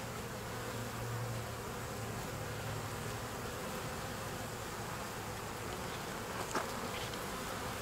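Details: Buzzing from a deformed bee, a low droning hum strongest in the first three seconds and then fading, heard beneath steady broadband hiss with one brief click near the end.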